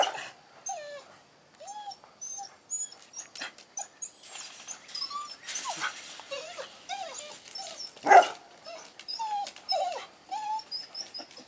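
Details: Dog near a baby, making many short, high whining notes that bend up and down, with one loud sharp bark-like burst near the end.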